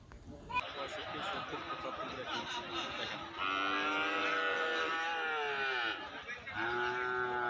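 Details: Cattle at a rainy livestock market in Domar, Nilphamari, Bangladesh, where cows are sold for rearing and sacrifice; long drawn moos with rising and falling tones from about 3.5 seconds, over steady rain and crowd chatter.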